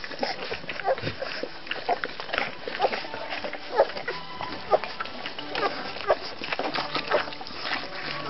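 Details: Week-old-plus Rhodesian Ridgeback litter, puppies in their second week, letting out brief thin squeaks and whines at uneven intervals, roughly one per second, while human voices murmur nearby.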